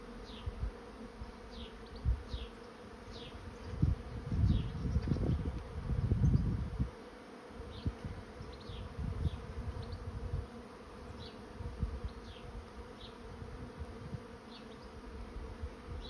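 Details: Swarming honey bees entering a swarm trap make a continuous low drone. Bursts of deep wind rumble surge in the middle, while short high bird chirps repeat in the background.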